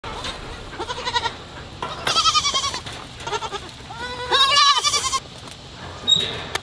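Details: Baby goats bleating in several short bursts, high wavering bleats with rising and falling tones, some overlapping, separated by brief pauses; a faint voice and a sharp click near the end.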